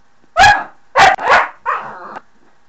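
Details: A pet dog barking at a door; three loud, harsh barks in quick succession, the last one longer and flatter, in an otherwise quiet room.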